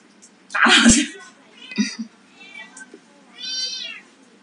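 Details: White Persian and Domestic Medium Hair kittens, about three months old and up for adoption, give a couple of short, high, harmonic meows after a loud rough burst near the start. A person speaks Chinese in the background.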